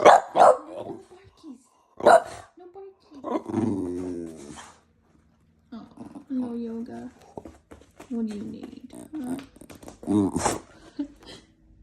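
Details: A sleepy Boston Terrier whines and grumbles in drawn-out, wavering tones to get his way, and is then offered a treat.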